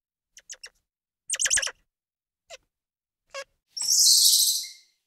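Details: Squirrel monkey calls: a few scattered thin high peeps and a short chattering burst, then a long, loud, harsh high-pitched squeal lasting about a second.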